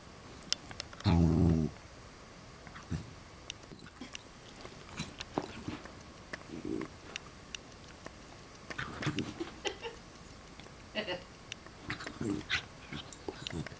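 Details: Westie puppies at play with their parents, wrestling. One low growl of about half a second comes early, followed by scattered scuffles, clicks and soft thumps of rough play.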